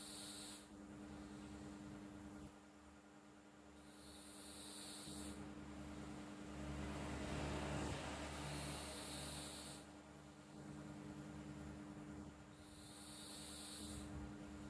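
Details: Sleeping house cat Flo snores quietly, each airy hiss-like breath returning about every four seconds, a low rumbling swell between them and a constant electrical hum underneath.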